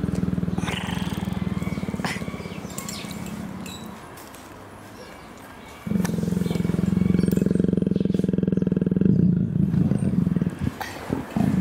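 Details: Female leopard in heat, kept in captivity and affectionate with her keepers, purring while her back is scratched: a steady low rumbling pulse that fades midway and then returns louder, with a woman's soft speech over it.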